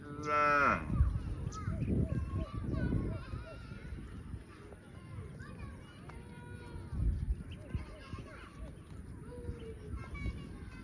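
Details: Cow on a farm, running and jumping in the fields: one loud, harmonic moo in the opening second, followed by people chattering and rustling noise outdoors for the rest.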